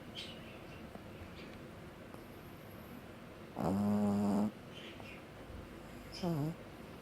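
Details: Sleeping pug snoring: mostly quiet room, then a loud harmonic snort lasting nearly a second, later a short rising-falling nasal snore; faint background hiss between.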